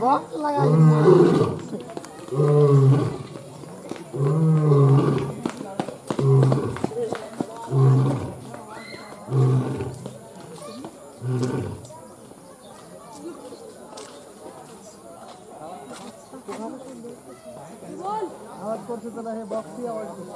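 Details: Lion roaring: a series of about seven deep, pulsing grunts repeated roughly every 1.3 seconds. They fade after about 12 seconds into quieter murmuring background sounds.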